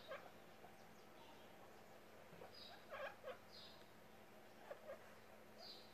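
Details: Baby guinea pig named Charlote, popcorning and described as very happy; short high squeaks and chirps scattered through the clip, a few brief pairs around the middle and near the end, over a quiet indoor background.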